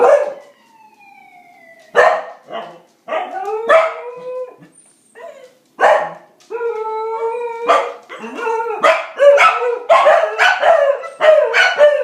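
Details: Several corgis howl in long, wavering tones mixed with sharp barks, imitating a siren as a trick.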